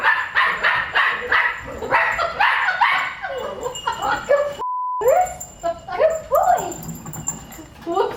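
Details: Pet dog barking in a rapid run of short yelps and woofs, overlapped by people talking and excited voices, with a brief steady beep tone cutting in midway before the barking resumes.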